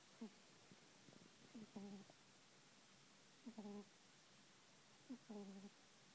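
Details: Kitten Prince Von Tass asleep and snoring: three cycles of a short rising squeak followed by a sustained nasal buzz, spaced about two seconds apart, in an otherwise quiet room.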